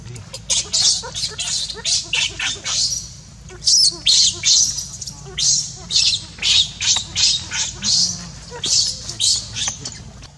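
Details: Hungry baby monkey crying and begging its mother for milk: shrill, high squeals repeated about twice a second in a steady run of short bursts, with some rougher chattering notes between them.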